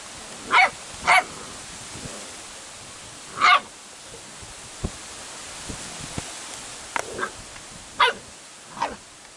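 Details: Airedale Terrier litter giving sparse, short, sharp yips and barks, a pair close together near the start and more single ones later, over a steady hiss of background noise.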